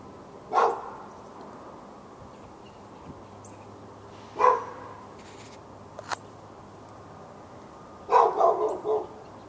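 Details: Dog in a Raleigh, North Carolina yard, 15 February 2012, barking for hours at the dog next door; three separate barks spaced about four seconds apart, the last a short doubled burst, over quiet background.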